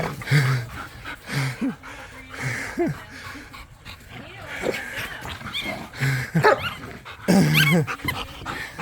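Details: Pet dogs, pit bulls and a Malinois, wrestling over a rope in a tug-of-war game in a yard: rough, low growls and snarls in short bursts, with a few squeaky high notes near the end and light background voices.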